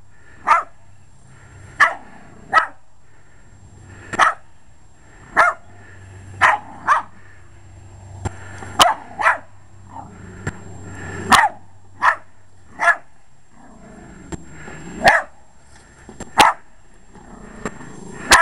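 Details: Short-legged Jack Russell Terrier barking at a lawn mower he treats as a threat to the home; sharp single barks repeated every one to two seconds, with a steady low engine hum underneath.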